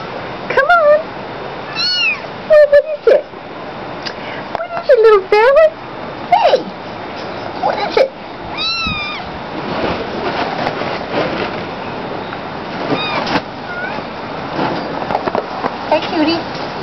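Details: Tabby Munchkin kitten talking, giving a string of loud, arched meows that rise and fall, several in quick bursts during the first eight seconds, then quieter; a man speaks softly to it throughout.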